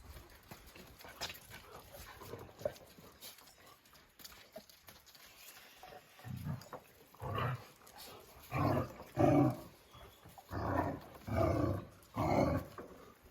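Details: Oscar, a Jack Russell Terrier, barks in a series of loud, harsh, broadband barks, roughly one each second in the second half, after a quieter stretch of rustling and faint noises.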